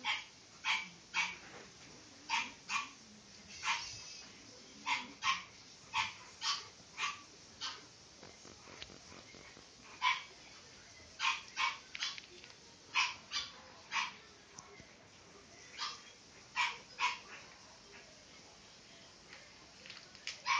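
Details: Pied male French Bulldog puppy, born 14 April 2012, at a breeding kennel, barks sharply and high-pitched. Short yaps come singly, in pairs or in quick triplets, about two dozen over twenty seconds, with quiet gaps between bursts.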